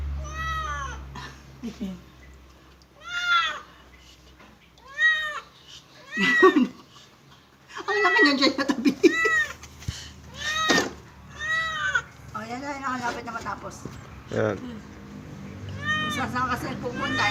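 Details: During a first bath, a cat meows again and again, roughly every second or two, arched plaintive calls, some harsher and louder, with splashing and handling noise between them.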